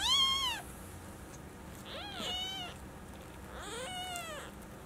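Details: Four newborn Maine Coon kittens, born 6 January 2018 in Tokyo; three shrill, rising-and-falling mews in quick succession, the later ones overlapping as more than one kitten cries.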